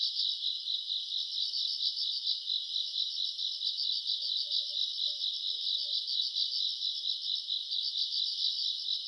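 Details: Summer-night chorus of grass insects, self-recorded in August: unbroken, shrill pulsing trill, many callers blending into one throbbing band, with a few faint, low tonal notes drifting underneath midway.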